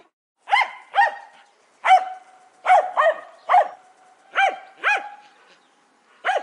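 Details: Sharp, bright barks from a Jack Russell Terrier, coming in pairs about every second and a half against a quiet background.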